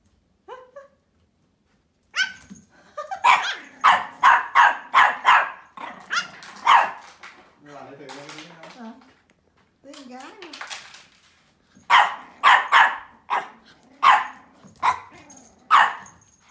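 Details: Barking from a playful Pomeranian puppy named Mimi, aged 12 weeks: rapid runs of high, sharp yaps, broken mid-clip by a person's sing-song talking, then another fast string of barks.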